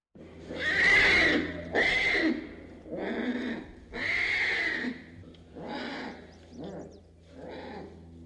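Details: Young tiger cub in distress, crying out for its mother: a series of drawn-out, wavering, nasal cries, each about a second long, with short pauses between them and later cries softer.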